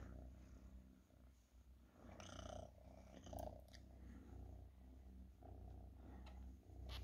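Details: House cat giving a soft, even purr, low vibrating rumble swelling and easing in slow cycles, with a couple of faint clicks and shuffling noises mid-way.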